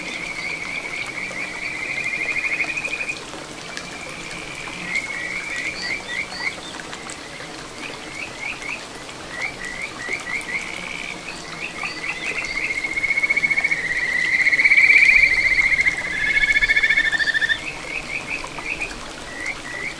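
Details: A Kajika frog sings clear, bird-like whistled trills of quick repeated notes over a small babbling stream flowing through satoyama countryside in Ichihara, Chiba, Japan, recorded 9 June 2022.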